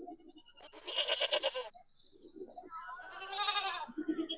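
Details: Goat hearing its own recorded sound and coming to search for its source: two loud, wavering, nasal bleats, the first short, the second longer and harsher, with a Tamil-speaking man talking softly in between.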